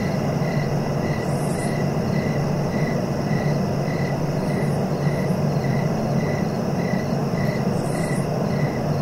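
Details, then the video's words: Rapid, evenly timed cricket chirps, almost three a second throughout, with faint high buzzy bursts and a continuous low rumble underneath. "Relaxing cricket sounds for sleeping"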